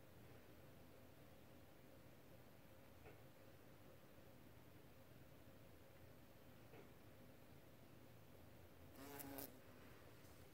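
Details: Sanislav, a pet common wasp, gives a faint, steady low hum with soft overtones that runs throughout, quiet against background hiss; a short burst of handling or rustling noise breaks in near the end.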